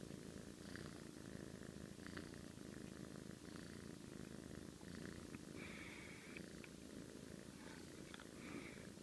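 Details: A domestic cat snores in its sleep, a low vibrating rumble sustained for the whole stretch with slight rhythmic rises and falls, plus light clicks and a few soft higher squeaks.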